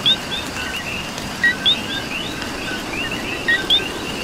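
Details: Coqui frogs calling at night in Puerto Rico amid steady rain: a nearby frog gives two-note calls, a low short note followed by a higher rising chirp, over a dense background chorus of other frogs and soft rain patter.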